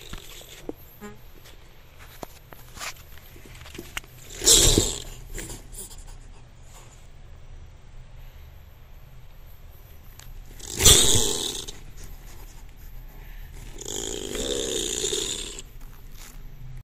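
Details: Opossum gives short, harsh, breathy growls, each burst rough and hissing, spaced several seconds apart; such growls come from nervous animals that only want to flee.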